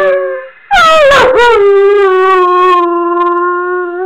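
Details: Male Weimaraner with severe separation anxiety howling after being left alone: a short low tone, then a loud wavering cry that drops and settles into a long steady sustained howl.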